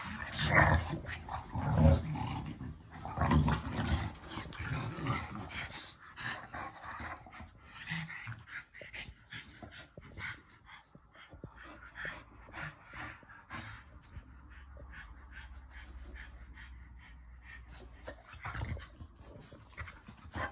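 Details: French Bulldog growling while playing affectionately; strong rumbling growls and snorts fill the first seven seconds, then fade to soft panting and quiet shuffling before a brief final growl.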